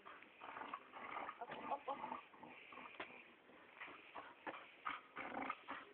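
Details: Molly, a pet dog, gives short whiny whimpering bursts in quick irregular succession, some rising and breaking off, with a person's voice mixed in and a muffled, thin-sounding recording.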